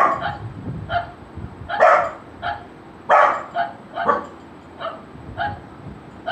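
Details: A Golden Retriever puppy responds to barking: irregular short barks, mostly soft, with two strong, rough barks standing out and a few medium yips scattered after them.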